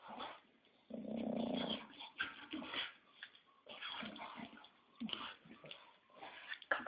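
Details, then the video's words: English Bulldog snoring: rough, wheezy, uneven breaths with snorting rasps, loudest near the start and continuing irregularly throughout. "Bulldog Inglés ñoño Roncando"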